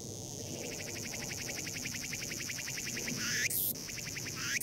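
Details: Cicada crying, found at Cheongpung Myeongwol: rapid rhythmic pulses repeated steadily in a loud high-pitched buzz, with sharp bursts near the end.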